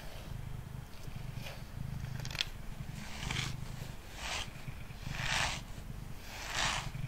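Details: Mango, a male pet cat sitting on a table, purrs while being brushed. The purr is a steady, low rumbling throb that runs throughout, and soft bristly brush strokes sweep in roughly every second.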